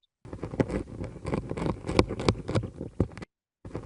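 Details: A leaf-chewing insect makes a rough, irregular rasping of crackling clicks as its jaws work through a leaf, recorded with a very sensitive laser microphone placed on the leaf.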